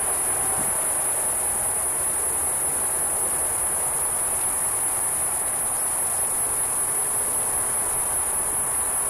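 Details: In late-morning summer heat at Batiquitos Lagoon, Carlsbad, California, on July 11, 2015, a cicada gives a steady, high-pitched electric whine that never breaks, over a soft outdoor hush. The clip is slowed down 4x.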